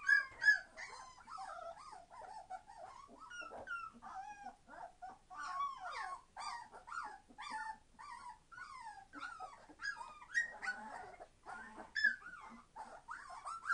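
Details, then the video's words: Several Entlebucher Mountain Dog puppies at 21 days old, litter born 26 September 2015, calling noisily: dense, overlapping high whimpers and bent squeals nearly three per second, with occasional louder yelps. "Entlebucher Mountain Dog puppies 21 days old - being very noisy!"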